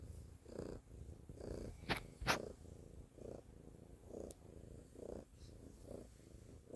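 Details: A domestic cat purring loudly, a low rumbling hum with soft pulses swelling about every second, broken by a couple of brief sharp clicks or rustles near the middle.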